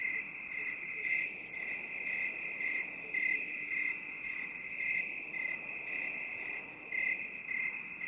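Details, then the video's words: Binaural 8D cricket chorus made for relaxation. Shrill chirps repeat in quick, slightly uneven pulses, about fourteen in eight seconds, over a constant high trill. No other animals or voices. "3 HOURS OF 8D CRICKET SOUND"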